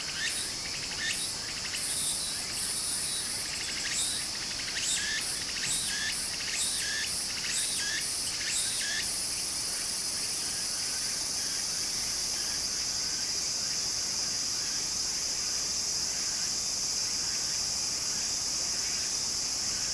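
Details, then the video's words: Beside a stream in Japan in summer, cicadas keep up a high continuous whine; for the first nine seconds quick rhythmic buzzy pulses stutter rapidly, then fade, leaving the steady drone and soft water sound. "小川の流れと蝉の声 自然音 ～夏～ Japan Sound of nature Cicada's voice"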